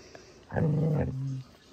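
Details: A female dog practising singing the Manamana song gives a single low, rough, droning vocalisation, held for just under a second and dropping slightly in pitch near the end, over quiet room background.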